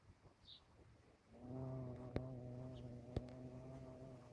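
A bumblebee's low, steady droning buzz starts after a second of quiet.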